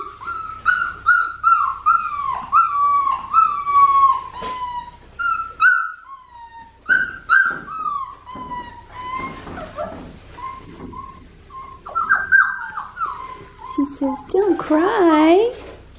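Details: Australian Shepherd puppy, a blue merle female, whining steadily in high wavering cries that dip and rise, coming in quick runs with short pauses and ending in a louder trembling wail; faint low hum underneath.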